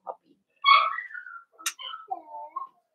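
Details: Indoor puppy pen at Red Barn Cavaliers holding five blenheim Cavalier King Charles Spaniel puppies born around New Year's: a loud whine sliding downward, then a sharp click and a few softer wavering whimpers.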